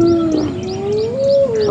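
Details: On a morning at Djuma Game Reserve on January 11, 2016, a spotted hyena gives a drawn-out tonal contact call rising then falling, as its clan attacks another hyena, targeting its ears.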